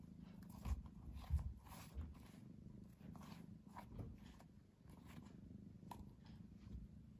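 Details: Pet cat indoors, drowsy yet playful, produces a continuous deep purr that swells and fades with its breathing, with several brief thumps and light rustles on top.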